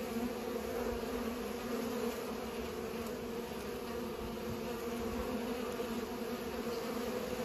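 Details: Several bees busy pollinating produce a constant droning buzz, layered hum holding steady for the whole stretch with no other clear sounds.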